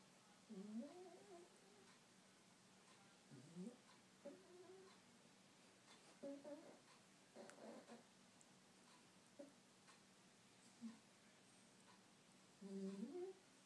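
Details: Female pet dog asleep indoors, snoring with squeaks: four short, faint, rising squeaks spaced several seconds apart, with soft rustles between them in a quiet room.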